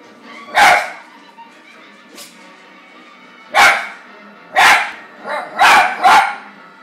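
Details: Pet dog barking at the dog Toto on television while The Wizard of Oz plays. There are sharp, loud barks at irregular intervals, one faint yelp, then a quick cluster of three barks at the end, over soft background film sound.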